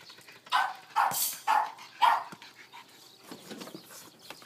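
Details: Excited pet Boston Terrier named Rose playing with a ball gives four short barks about half a second apart, followed by softer scuffling and rustling noises.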